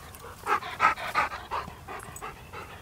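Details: Dogs looking for a squirrel; a run of short, rough barks or yelps, four louder ones packed into the first second and a half, then softer, fading repeats.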